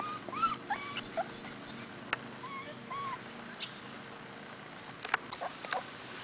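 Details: Four-week-old Cardigan Welsh Corgi puppies in Sweden, outdoors with their mother for the first time. Thin high whines and squeaky yelps come in a quick cluster early on, then sparse squeaks follow, with faint high twittering and sharp clicks in the background.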